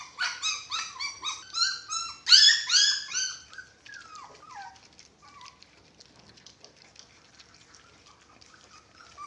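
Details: Dachshund puppies, six weeks old, squeal at feeding time: a quick run of high, piercing yelps for about four seconds, then near quiet with faint rustling and a brief whine.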